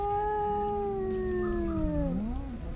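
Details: A domestic cat gives a hoarse meow: a long, drawn-out throaty yowl from the throat that slowly falls, then dips and rises at the end. Adult cats use this call with one another during mating season.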